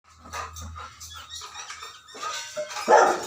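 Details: An angry Rottweiler gives short, harsh barks in quick succession, agitated at the strange sound of pigs.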